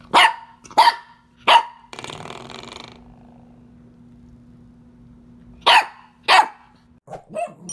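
A Pembroke Welsh Corgi puppy gives sharp, high yapping barks, broken by the springy twang of a door stopper.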